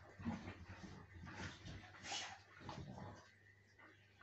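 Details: Siberian Huskies play-fighting on a sofa indoors, giving soft whimpering yips and low grumbles in uneven bursts, with scuffling and thumps of bodies moving on the cushions.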